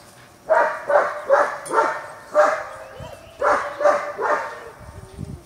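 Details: German Shepherd puppies meeting an older puppy at a Washington kennel: two groups of harsh barks with a gap between, ending in a softer low grumble.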